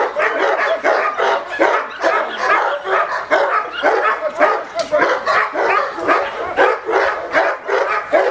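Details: Barking from a male Cane Corso in attack training: rough, rapid barks repeated about twice a second, fairly irregular, each a short broad burst, continuing steadily throughout.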